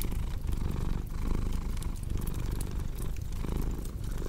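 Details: Rumbling purr of a cat, dense and low, pulsing with its breathing. Fireplace crackles tick faintly over the top.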